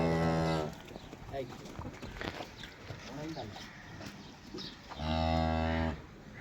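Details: Friesian-Sahiwal crossbred cow in Pakistan, recorded 23/04/2025 while offered for sale; two low, even moos, one at the start and one near the end, with quiet farmyard noise between them.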